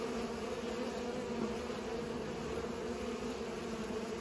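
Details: Pollinating bees give an even, sustained buzzing drone, its tone and loudness barely shifting over a few seconds.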